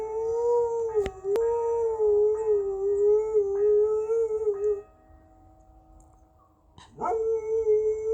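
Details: Dog howling in response to ringing church bells: one sustained, even, mournful wail lasting nearly five seconds, a brief pause, then a new howl rising sharply before leveling off, with a steady ringing tone behind.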